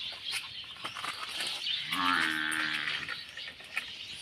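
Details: Newly arrived water buffalo at a farm, with a 15-day-old calf, gives a single drawn-out moo lasting about a second, rising then holding steady; clicks and outdoor background noise around it.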